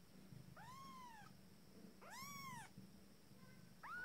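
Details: Abyssinian kittens, fourteen days old and beginning to walk, in their first litter, calling with two rising-then-falling mews and a brief third cry, over a low background hum.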